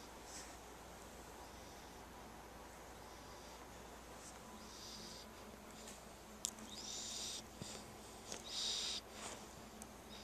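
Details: Spike, a chubby puppy being dog-sat, snoring while asleep indoors: soft, airy, hissing wheezes in the upper register that come and go roughly every second or two over a steady low hum, with one sharp click midway.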